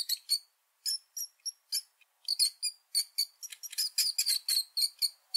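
A rat gives quick, high-pitched squeaks in irregular bursts.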